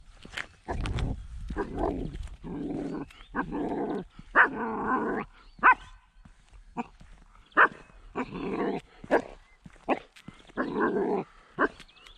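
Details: A 10-week-old female German Shepherd puppy, acting as a little guard dog, barks and growls: harsh, noisy bursts, some short and some drawn out, coming in irregular runs about every second, roughly a dozen over twelve seconds.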